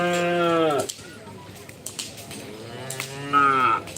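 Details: Cattle at a Karapan Sapi bull race on Madura, East Java, Indonesia, a traditional Madurese contest with specially trained and cared-for racing bulls. Two drawn-out harmonic moos, the first lasting almost a second and a shorter one near the end, over crowd noise.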